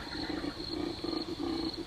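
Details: Bull koala bellowing at night on a wildlife sanctuary property, played back as a recording: a series of low, throaty pulsed snoring phrases with a steady high insect hum behind.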